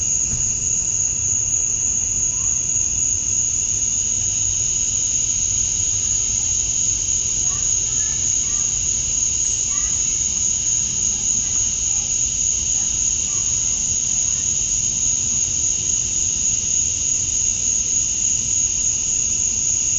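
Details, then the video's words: Male cicadas at dusk on a summer night in Georgia, USA, chirping to attract females: a dense, unbroken, high-pitched buzzing drone that holds perfectly steady throughout, with a faint low rumble beneath. "Cicadas at Dusk, Summer Night"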